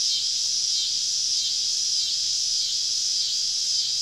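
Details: Many cicadas surrounding a camp in the woods on a southern summer evening, producing an unbroken high shrill drone that wavers gently in strength, with no other distinct sounds.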